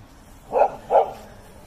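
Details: A slightly timid Golden Retriever walking in a park in Toda City the day before surgery; two short, muffled barks about half a second apart over quiet background.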